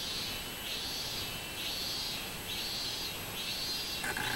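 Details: Minmin cicada song from a July 2016 summer recording: pulsed buzzing phrases rising and falling roughly once a second, over a constant high background drone of other insects, with a brief sharper sound at the end.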